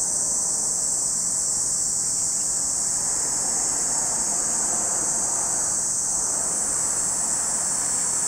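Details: Continuous shrill buzzing of cicadas at Lake Kamo in Sado City, Niigata, Japan, while a broad rumble, like a passing vehicle, swells and fades through the middle.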